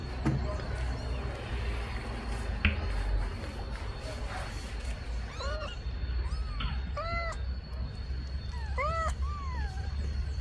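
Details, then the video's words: Mother cat meowing as if asking for her kittens to be put in the nest; a run of short, arched, falling meows comes in the second half over a steady low rumble. "Mamãe gata mia pedindo para colocar os filhote no ninho"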